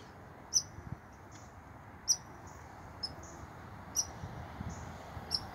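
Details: American red squirrel up a tree, angry at a nearby person and possibly near its nest, gives sharp, high-pitched barking chips roughly once a second, clicky and brief, over a steady background hiss; phone recording.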